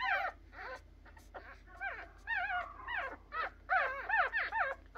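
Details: Three-day-old puppies producing quieter, irregular squeaks and short whines, sparse at first, then a denser cluster of wavering cries in the second half.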